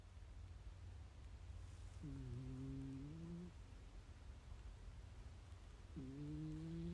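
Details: Sleeping cat snoring: two drawn-out, humming snores, each about one and a half seconds long and rising slightly at the end, spaced about four seconds apart over a steady low hiss.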